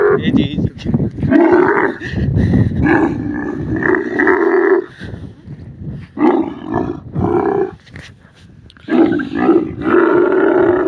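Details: Desert camel giving harsh, throaty roaring bellows in several long bursts, separated by short quieter pauses with low grumbling between calls.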